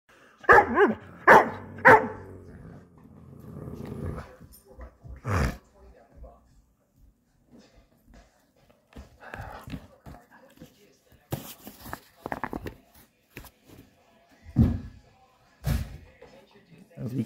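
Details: Playful, sassy Doberman Pinscher grumbling and barking: an opening burst of rough, throaty growl-barks in the first two seconds, then scattered single woofs and thumps amid bumping noises, with a man talking to the dog.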